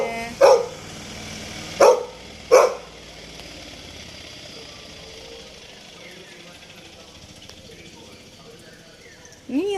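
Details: Labrador Retriever named Toby gives three loud, sharp barks in the first three seconds, spaced about a second apart, followed by a long quiet stretch with faint background sound and a brief rising whine at the end.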